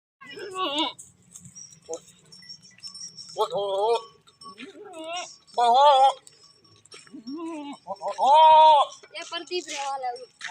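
A goat bleats several times, each call a wavering, nasal bleat with a shaky, trembling tone.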